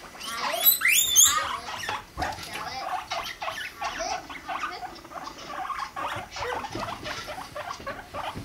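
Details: Guinea pig pair Rumply and Fluff mating, Fluff five months old; opens with a burst of high squeaks, then fast ticking pulses, about three a second, continue after a sharp break.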